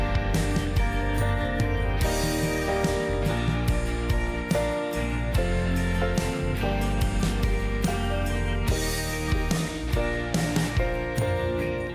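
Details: Steady guitar-led instrumental music with drums and a strong bass line plays throughout, with no animal sound audible.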